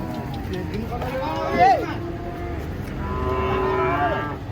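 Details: Giant cattle coming down from a truck. A sharp, rising and falling moo bellows near the two-second mark, followed by a longer, steadier moo. Faint background voices can be heard.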